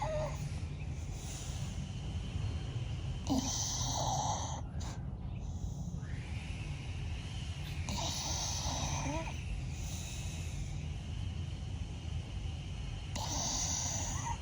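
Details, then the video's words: Bella, a blue Staffordshire Bull Terrier, sleeping and twitching while snoring loudly: rasping, breathy snores with bursts of broader noise at about 3, 8 and 13 seconds, over a steady low rumble. "FUNNY STAFFY SLEEPING AND SNORING"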